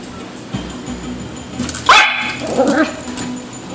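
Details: Yorkie pup chasing fish lets out a single shrill yap, followed by a softer wavering whine, with faint background music.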